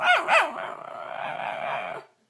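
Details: Dog 'talking': two quick yelping barks run straight into a sustained, steady, harmonic whine lasting about a second and a half before stopping.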